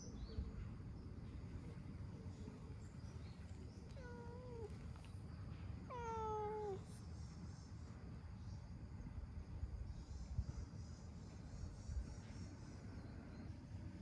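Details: Ginger tabby stray cat savouring being stroked, letting out two short meows a couple of seconds apart, the second slightly longer and falling, over steady low outdoor rumble and noise.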